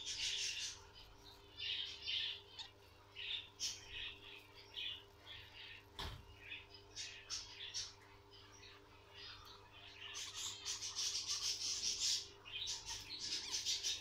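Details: Guinea pig squeaking at birth: sharp, high peeping notes repeated about three times a second, thinning in the middle with a single knock, then swelling into a dense burst of calls near the end.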